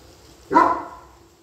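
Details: German Shepherd on guard duty letting out one sharp, loud bark that fades quickly into a quiet background.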